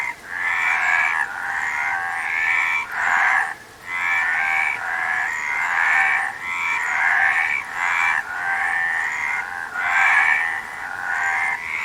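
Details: Chorus of frogs giving harsh, rattling croaks in long overlapping runs, broken by a brief lull near the middle, steady and loud throughout.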